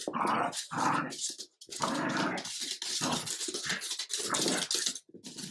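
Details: Play-fight between an adult Jack Russell terrier and a French bulldog puppy named Ubi, the older dog putting the annoying pup in its place: dense, harsh growls and snarls in rapid overlapping bursts with barely a pause.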